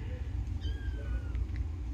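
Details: Kittens: a single thin, high-pitched meow sliding gently downward, faint over a steady low rumbling hum.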